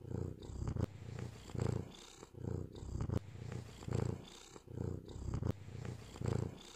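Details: Rhythmic purring from a male white cat, a low rumble pulsing about every second as it breathes in and out, steady and even throughout, with light clicks at intervals.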